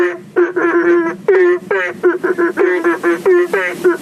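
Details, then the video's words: Belentung frogs at a fish pond in front of a house near a road, calling for rain after dark: rapid run of nasal, harmonically rich upswept notes, several callers overlapping in quick succession. "Seperti ini Cara Katak Memanggil Hujan | Sound of Frog"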